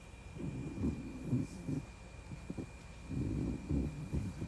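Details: Shiba Inu in deep sleep with its face pushed into a gap, snoring: low, rough, grunting snorts in two bouts with a quiet lull between them, over a faint steady high tone.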